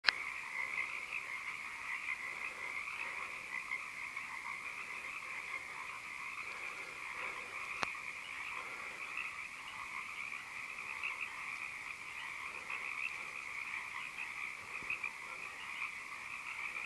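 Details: Chorus of frogs on the shores of the Big River in Mendocino: a dense, steady mass of overlapping, rapid croaks.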